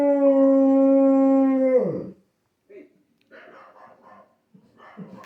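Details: Labrador retriever howling like a wolf as it watches dogs on TV: a steady, level howl that ends in a downward slide after two seconds, then quiet murmuring and faint sounds.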